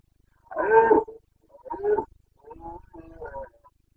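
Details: Boncănit, the rutting roar of a Carpathian red deer stag, recorded in Bucovina on 29 September 2022. One powerful guttural bellow opens, then a shorter roar and a drawn-out series of grumbling grunts.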